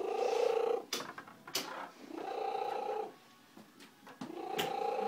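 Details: Slugo, a pet female domestic cat adopted after being found at the roadside and described as very loud, gives three drawn-out, wavering tonal meows with rich overtones, separated by short clicks and rustling indoors.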